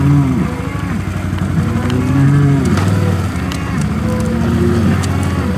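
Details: Hereford cattle in 2017 as bulls are turned out with their breeding groups at the start of breeding season. Several overlapping low, drawn-out moos sound almost continuously over a steady low mechanical drone.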